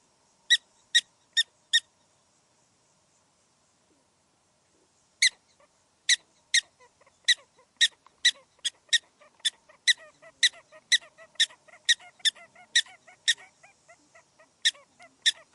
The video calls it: Prairie Dog Sound Effect in HD Quality